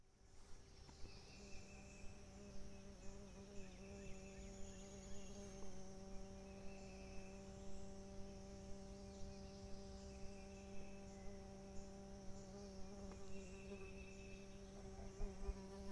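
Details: On a creek in the morning, a bee locally called a Music Bee hums as a steady, low, droning tone, while insects chirp in repeated high bursts and soft creek sounds run beneath.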